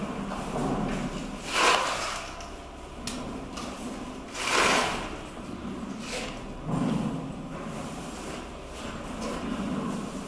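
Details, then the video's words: Gorilla Momotaro at Kyoto City Zoo noisily chomping on donated cabbage in April 2022; three big crunches about every two to three seconds, with quieter chewing and rustling between them. "Momotaro the gorilla eats donated cabbage while making good sound."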